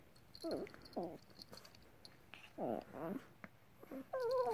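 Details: Two Chihuahuas locked in a mock battle, giving short throaty growling yelps in arching bursts, some overlapping, with a higher rising whine at the end and a person asking what they are doing.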